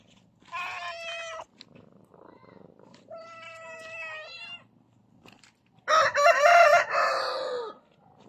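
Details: Domestic cat meowing three times over eight seconds, two drawn-out tonal meows at steady pitch followed by a louder, harsher and wavering meow that falls at its end; quiet room otherwise.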